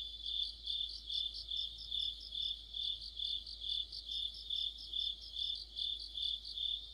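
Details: High, ringing cricket chorus on an autumn evening near a streetlight, a sustained shrill tone broken into regular pulsing bursts about two per second.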